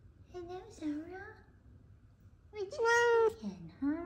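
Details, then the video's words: Greeting their owner home from work, F2 Savannah cats Kumba and Zara give two drawn-out meows, the second louder and sustained with a level tone before dropping, in a small indoor room. "Sweet F2 Savannah Cats Are Happy I’m Home. Meows And Purrs."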